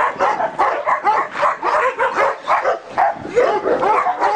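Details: Kennel of large Turkish dogs alongside a Korean Jindo dog; rapid, uneven volley of barks, roughly one a second, mixed with short high yips and whimpers.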